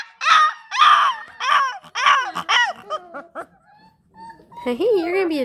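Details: Three-and-a-half-week-old female Bluetick Coonhound puppy howling back to her siblings: a run of five quivering, high yelping howls, then softer whimpers, ending in a lower drawn-out howl.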